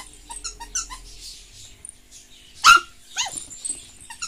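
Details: Maltese terrier puppies indoors, a short burst of high yelping squeaks and a sharp bark-like cry near the middle, with small scattered whines around it.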